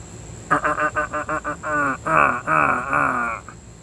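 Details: Female pet pig enjoying belly rubs gives a rapid string of short grunts that run into longer, wavering, squealing moans, all within about three seconds, with a constant high-pitched hum behind.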